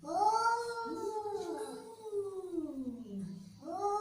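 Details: Angry domestic cat drawing out one long, whining growl-yowl that bends up, then falls steadily lower, ending in a low moan. A fresh, higher cry begins just as it fades.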